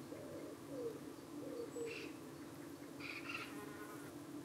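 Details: Colony of honey bees at a hive in the UK, evening, under attack from parasitic flies trying to cling to the bees; a constant droning hum with short gliding buzzes, and a few brief chirped bird notes in the background.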